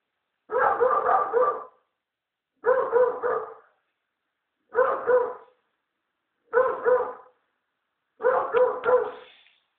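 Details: Rex, an American Staffordshire Terrier guarding the house, barks five times at steady intervals of about two seconds. Each bark is long, rough and drawn out over a quiet, empty background.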